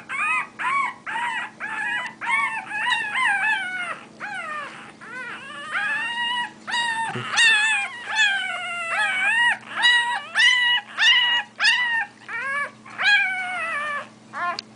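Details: One-week-old Bulldog puppies crying in a dense run of high whines and squeals, bent and wavering in pitch, some overlapping, with brief pauses and a constant low electrical hum throughout.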